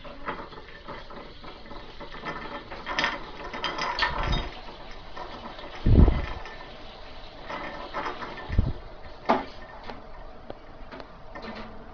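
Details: Low mechanical clicking, rattling and a few thumps; no animal voice is heard. Scattered knocks stand out against a steady low rumble.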